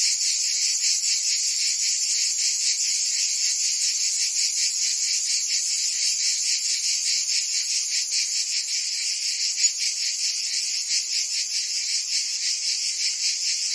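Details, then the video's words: In the Provence summer of France, cicadas sing in a constant high rasping drone with rapid regular throbs, one brief click near the tenth second, otherwise pure insect sound. "Cicadas singing in France (Provence)"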